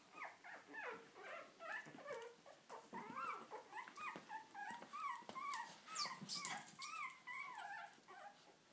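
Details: Lhasa Apso puppies, three weeks old, eyes newly open: a busy litter of soft, high whimpers and squeaky yelps, overlapping and repeated about twice a second, with brief rustling.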